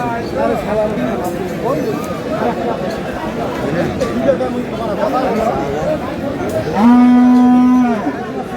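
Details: Cow at the Aftabganj cattle market in Dinajpur, sold with a calf, recorded May 9, 2026: a steady, low, drawn-out moo of about one second near the end, loud over crowd chatter and bargaining voices.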